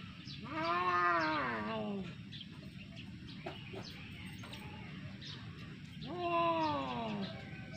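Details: Domestic cat in a fight, giving two long drawn-out yowls, each rising then sliding downward over about one and a half seconds, with a quieter stretch of faint clicks and rustling between them.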